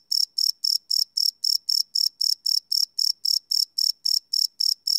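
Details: Night chorus of crickets captured live with a Sony PCM D100: rapid, evenly spaced high-pitched chirps about four each second, clean and uninterrupted, no other sounds.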